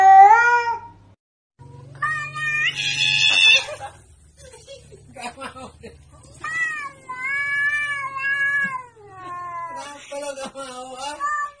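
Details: Pet cats making drawn-out, wavering meows that rise and fall like speech, several long calls in succession, over background music with a person talking softly.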